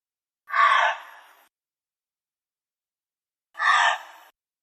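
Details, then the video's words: Two rough, wheezy bark-screams from a gray fox, each about a second long with a fading tail, separated by about three seconds of silence; clean, quiet background. "Let's listen to the call of the gray fox next. and"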